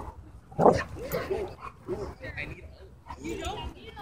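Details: Dog park play turning into a dogfight: a loud bark bursts out early, followed by shorter harsh barks and growly yaps beneath overlapping human voices.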